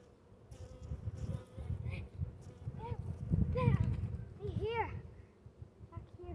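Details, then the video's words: Honey bee upset by an earwig in the honeycomb: a low, rough, continuous buzzing that swells and fades, with a few brief higher arched chirping tones in the middle. "Upset honey bee. Earwig in a comb."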